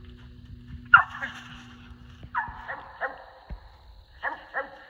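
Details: Squirrel dogs treeing squirrels during a hunt along the Tensaw River; sharp, short barks come singly and in pairs about every half second to a second, with quiet outdoor background between them.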